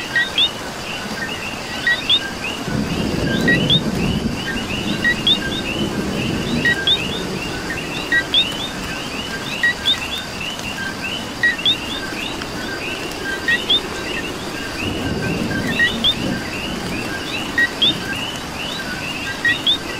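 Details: Coquis in Puerto Rico calling during rain: many frogs overlap in a dense chorus of short two-note chirps, a lower note then a higher, sharper one, with steady rain hiss and low rumbling surges of heavier rain.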